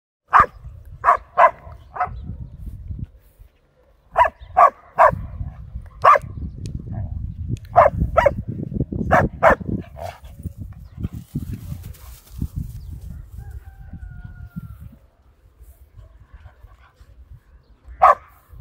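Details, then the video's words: Samoyed puppies romping through a meadow of blooms give sharp, bright barks in quick clusters of two to four, about a dozen in all, then fall quiet before one last bark, over steady low rumbling from movement and wind. "Samoyed Pups Romp Through a Meadow of Blooms"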